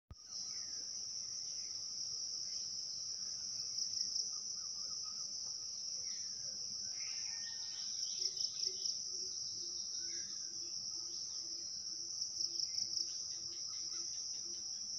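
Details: Daytime crickets in a steady, continuous high-pitched shrill trill that runs through the whole recording, with faint bird calls and soft twittering notes scattered in the background.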